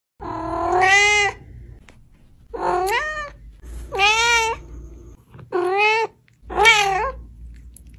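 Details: Domestic cat meowing: five loud, drawn-out harmonic meows, each rising then falling, spaced about every one to two seconds, with faint low hum between calls.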